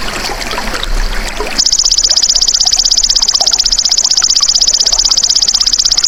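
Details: Golden grasshopper, a natural recording used as masteran to train songbirds: after a burst of rushing noise, a loud, high, rapidly pulsed buzzing trill starts abruptly and runs unbroken and steady to the end.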